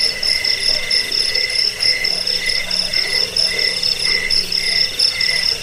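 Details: High, relentless cricket trilling from a rat-repelling and bird-training track: bright pulsed chirps at two stacked pitches, pulsing in short bursts roughly every half second over a soft low drone.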